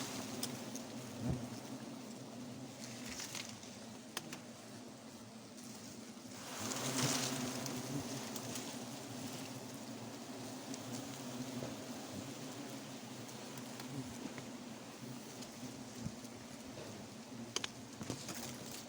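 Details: Forest honey bees swarm around a wild nest as it is cut for honey. A continuous humming drone holds steady beneath scattered clicks and handling noise, with a louder rushing burst near the middle.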